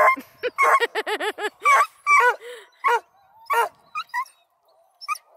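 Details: Coonhound pups from a kennel near Kingston, Ontario, Canada, Blueticks, Redbones and Black and tans, give a rapid run of short, arched yips about five per second, then spaced single yelps and barks fading out.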